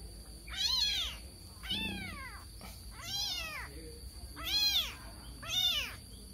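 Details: Young cat searching for its mother, meowing repeatedly. Six high, drawn-out, arched meows come about one per second, with soft low background noise.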